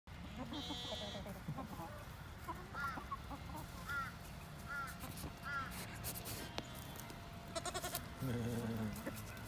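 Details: Angora goat kids let out to play on a farm, skipping and jumping around. Short, wavering bleats come now and then, with a louder, lower bleat near the end. Human voices and handling noises run underneath.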